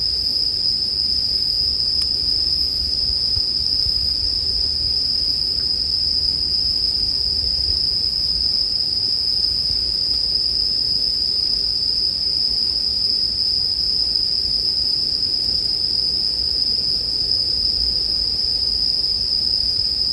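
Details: Sleep-music recording of bell crickets with a crackling campfire. A constant high, bright ringing fills the whole stretch evenly, with quiet broadband low noise underneath and scattered faint clicks.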